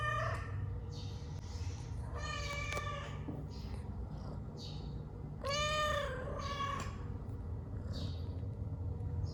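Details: Domestic cat giving two loud harmonic meows with a falling, wavering pitch, spaced about three seconds apart, among faint high chirps and steady low background hum.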